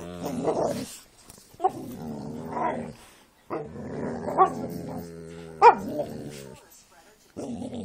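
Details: Jack Russell and pit bulls playing together, giving bursts of low, harmonic growling and whining vocalisations broken by short pauses, with a few sharp yips between them.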